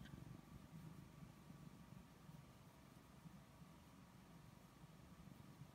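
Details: Purring from Snookie the cat during petting, a quiet, continuous low throbbing rumble with an even rhythm, set against faint indoor background hum.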